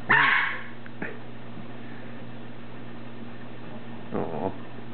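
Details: Pembroke Welsh Corgi puppy Elizabeth, six weeks old, playing one afternoon with Casper, a seven-year-old American Eskimo: a single loud, rough bark opens, then a soft thump, a quiet stretch over a low hum, and a short muffled grumble near the end.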